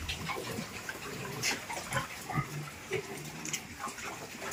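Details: Piglets being transferred to fattening pens give short, scattered squeaks and grunts over a constant noisy pen background, with no call standing out strongly.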